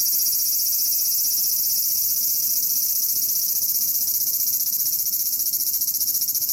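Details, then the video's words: Large brown cicada finally singing in July at Aoba Park, 19 July 2019: a loud continuous high-pitched buzzing drone, evenly pulsing about three times a second, with no other sounds standing out. "アブラゼミ ようやく鳴きました"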